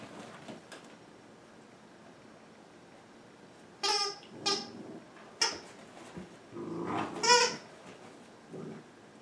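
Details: Two dogs playing indoors in the afternoon, Lily, a larger Minpin/Manchester Terrier mix, and Joby, a Toy Manchester Terrier: a few short, strained yelping barks in scattered bursts, the loudest pair near the end, with quiet rustling between.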